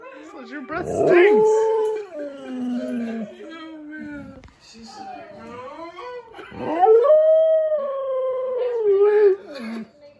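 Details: A Siberian Husky, which normally never howls, gives long, wavering howls that rise, hold, then slide down while howling at talking dogs in videos on a screen, with speech and music behind.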